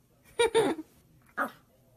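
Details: Maltese dog barking indoors: two quick sharp yaps close together, then a single shorter bark after a pause, in a small room.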